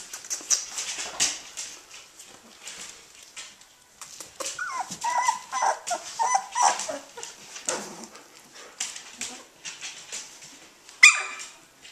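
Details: Australian Shepherd puppies, 18 days old, just starting to play: soft, scattered whimpers and small yips over steady scuffling and clicking noises, with a faint human voice in the background.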